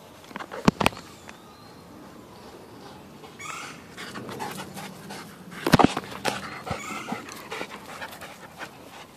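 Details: Dog panting on an off-leash hike along a trail in the Mississippi River valley, with two shepherds present, the 17-week Lycan Shepherd Kurgan and the German Shepherd Lobo. Breathy, rhythmic huffs are broken by sharp clicks and crunching footsteps.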